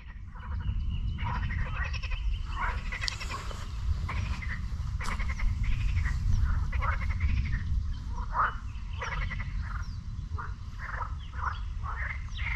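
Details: Frogs calling at a lake near the beach in Sinemorets, on the morning of 22 May 2022. Many overlapping croaks come in short rattling bursts, several each second, over a steady low rumble.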